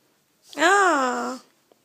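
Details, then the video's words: Pug frightened by a small cat toy gives one drawn-out tonal whine lasting about a second, rising slightly then sinking and fading, against near silence indoors. "Pug scared of cats toy"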